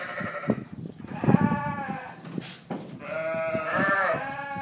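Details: South African Dorper sheep on a ranch: rough, wavering harmonic bleats overlap in the second half, over a murmur of lower calls and shuffling noises.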